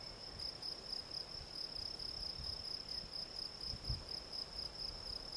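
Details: Steady chirping of a field cricket, Gryllus campestris: rapid, regular high-pitched pulses, about three a second, with a brief low thump near the four-second mark.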